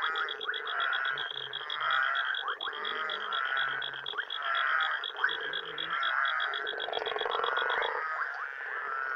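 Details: Frogs and toads at night in Uganda, many callers at once: steady grating croaks, low short grunting notes, and a fast high beaded trill for most of the clip.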